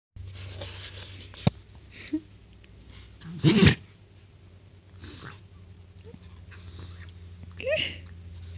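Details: A French Bulldog puppy sneezing indoors. One sharp, explosive burst comes midway, between softer snuffles and small clicks, over a steady low hum.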